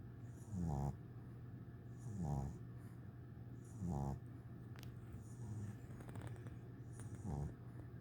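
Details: Sleeping 8-week-old English Bulldog puppy on his first day home, snoring beside a teddy bear: short low snores with a rattling, snorting edge, repeated roughly every one and a half seconds over a steady background hum.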